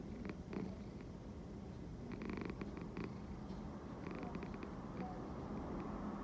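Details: A cat purring at high volume: a deep, even, throbbing drone that never breaks, with a few brief scratchy rustles on top.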